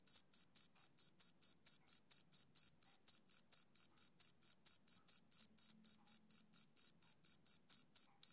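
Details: Male cricket chirping steadily: short, high, pure-toned pulses repeated about three to four times per second with an even beat, with no other sounds.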